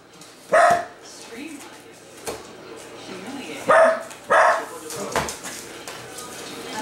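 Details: Dachshund raving at Amazon packages dropped off by UPS or FedEx: a few loud, spaced barks, single and then paired, over a quiet room with faint talking.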